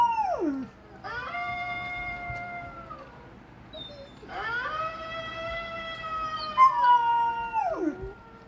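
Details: Howling female pet Golden Retriever: a falling whine, then two sustained level howls of about two seconds each, ending in a sharply dropping whine.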